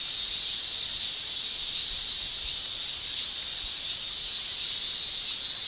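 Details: Summer in Japan with male cicadas shrilling by tymbal: a steady, piercing, buzzy wall of sound, high in pitch, gently pulsing in intensity throughout.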